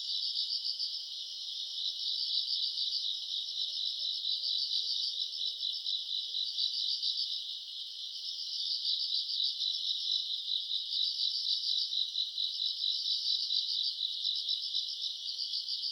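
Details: Grass insects on an August summer night keep up a thick, high, ringing chorus of fast pulsed chirps, dipping briefly in loudness midway before swelling again.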